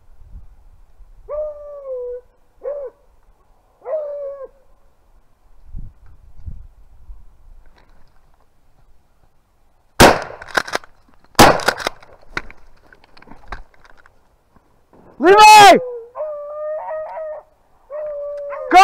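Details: Beagles rabbit hunting in upstate New York in February 2023, filmed with a GoPro: drawn-out, slightly falling bays in short bursts, then several sharp loud gunshots, then more long baying with quick broken yelps near the end.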